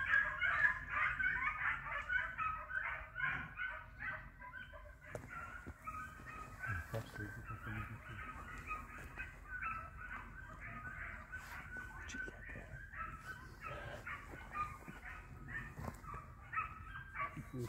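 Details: Three hounds on a hare hunt, the hare flushed and running in view, keep up steady overlapping bays for the whole stretch, rhythmic and urgent, with occasional human shouts and clattering knocks behind.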